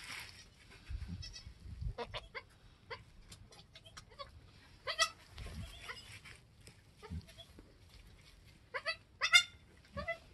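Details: Goat kids on a homestead, a doeling and a buckling only an hour or two old, their mother having just given birth: a few short harmonic bleats scattered through quiet background, clustered near the end, with a person speaking briefly.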